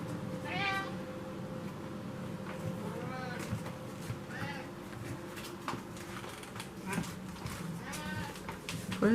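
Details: Pet cat yelling for food in the kitchen beside a loud stove; several short harmonic meows scattered among a man's speech and a constant low hum.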